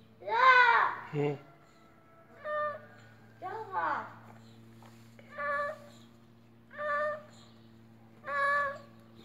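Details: Cat described as appearing ill and making odd noises: two loud, slurred, bending meows, then four shorter even calls spaced about every one and a half seconds, with a low constant hum behind.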